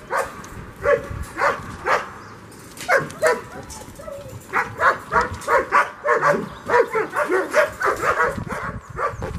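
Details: Dog of the German Shepherd breed barking during a frisbee game on April 30, 2022, outdoors: a few spaced barks at first, then a dense series of short, harmonic yelps every half second or so for the final five seconds.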